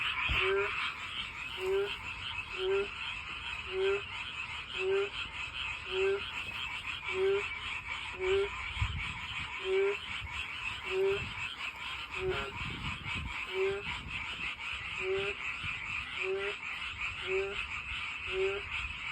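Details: Frog singing beside a walking path while trying to find a mate: short, bright croaks repeated steadily about once a second over a continuous high, buzzing background chorus.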